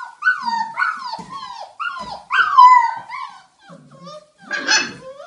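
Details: Belgian Malinois pup Rea and her siblings at play: four loud, strained yelps that rise then drop, spaced about half a second apart, then quieter squeaks and a burst of rough scuffling.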